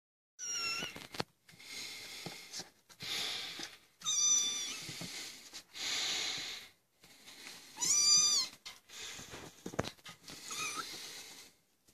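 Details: Maine Coon kittens, 25 days old, from the litter of Jaïna and Joab at a cattery, trying to leave the nest: several high, thin mews with rising and falling harmonic sweeps, some bursts overlapping, amid rustling and scratching.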